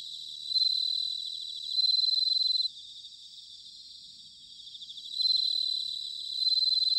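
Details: Autumn bell cricket near Sanuki, Chiba, Japan, ringing in loud bursts of about a second: bright, rapidly pulsed high trills that pause, then return over a quieter background of other crickets.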